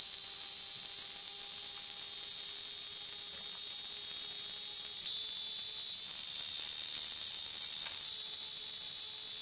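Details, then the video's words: Loud summer call of a cicada at Kanha National Park: an intense, steady high-pitched whine with rapid pulsing, its tone stepping slightly lower and back again partway through. "Cicada, Cicadas are true bug with very loud sounds"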